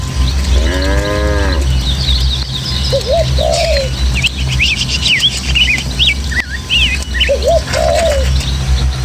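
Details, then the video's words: Tame village cattle, part of a herd of dozens heading through hilly Indonesian countryside toward their pen, give one drawn-out, harmonic moo lasting about a second, surrounded by constant chirping and whistling birdsong over a steady low rumble of breeze. "Suara Sapi"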